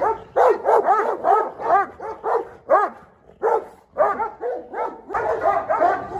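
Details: Aggressive dog confronting the pack's top dog in a sudden act of defiance; about a dozen sharp, tonal barks with a rising-falling arch, fired in quick runs with a short lull near the middle.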